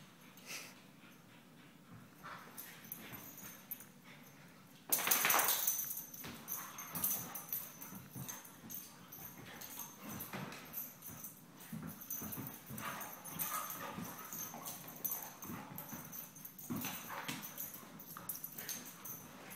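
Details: Vizsla. Vizslas tussle in a noisy scuffle, giving rough growls, sharp yelps and whimpering cries. Scrabbling and thumping sounds run through the whole exchange.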